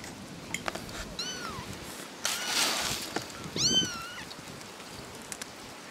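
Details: Little kittens meowing indoors: two high, thin, arching mews about two seconds apart, each with stacked harmonics, plus a burst of rustling noise between them.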